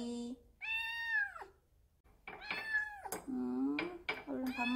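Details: Odd-eyed female Munchkin short-legged kitten, born July 2018, meowing indoors at home: a long, drawn-out harmonic meow that rises then falls, followed by a woman talking to the kitten over further mewing.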